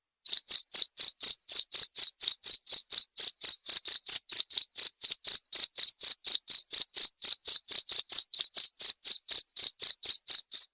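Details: Cricket chirping in a steady, unbroken series of short, high, ringing pulses, roughly four per second, sharp and evenly spaced with a faint higher overtone; no other sounds in the background.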